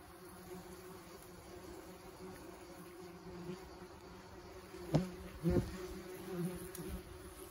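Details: German wasps at their nest during a pest-control treatment with powder, insects still streaming out; a steady low buzzing hum runs throughout, with a few louder knocks and handling noises near the end.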